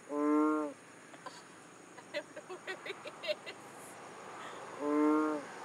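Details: Frog calling in Borneo: two loud, nasal, harmonic-rich calls, each lasting under a second, about four seconds apart, with a quick series of faint clicks and taps in the gap between them.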